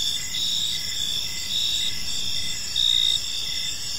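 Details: Crickets chirping on an evening in a peaceful park: a steady high trilling chorus with pulsed bursts, one louder burst near the end, over a faint low background rumble.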